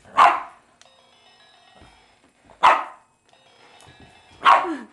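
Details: Bella, a Boston Terrier, barks at a Sailor Moon crescent moon wand she hates; three loud, sharp barks spaced roughly two seconds apart over a faint tinkling toy melody indoors.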